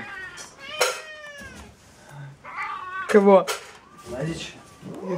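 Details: Several domestic cats meowing at feeding time indoors, repeated drawn-out meows with falling tails, one louder cry around the third second, mixed with Russian speech and clattering.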